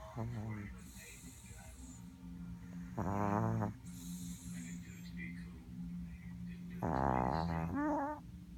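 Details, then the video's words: A sleeping Chihuahua snores while dreaming. Breathy hisses alternate with short, low, voiced rumbling snores at about three and seven seconds. Quiet breathing fills the gaps. "Our superstar snoring chihuahua dreaming"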